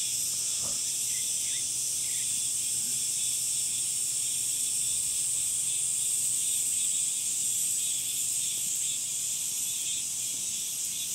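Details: Cicadas in summer produce a continuous shrill buzzing wall of sound, steady in pitch and loudness, with a couple of faint short chirps early on.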